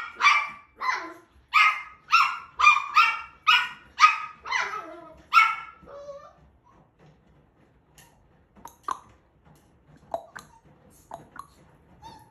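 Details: Sheltie puppy reacting to a washing machine and mirror seen for the first time, giving a rapid run of about nine high, yapping barks over six seconds, then falling quiet with only faint scattered yips and small rustles.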